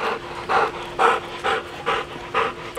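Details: Siberian Husky panting hard during a game of fetch that turned into zoomies, rough breathy huffs repeating steadily about twice per second, with a faint steady hum underneath.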